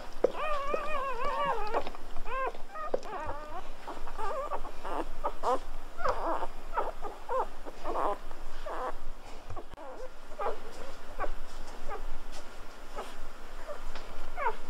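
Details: Newborn Golden Retriever puppies squeal in warbling bursts at the start, then the cries turn fainter and sparse amid rustling, clicks and movement noise.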